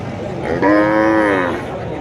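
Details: Cattle at the Kuchiya Mara cattle and goat market, 26/5/2026: one drawn-out, steady, harmonic-rich moo of just under a second, with a busy market murmur behind it.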